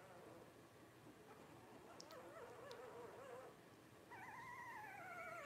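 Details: Twelve-day-old blenheim Cavalier King Charles Spaniel puppies from a litter of five; soft low whimpers and faint squeaks, then a clearer wavering whine near the end, with a couple of brief clicks in a quiet room.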